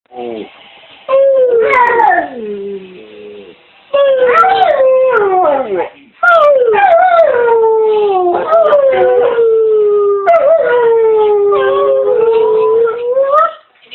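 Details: Pet dog being sweet, making drawn-out whining howls in long phrases. Each howl starts high and slides downward, with wavering pitch and short breaks between phrases.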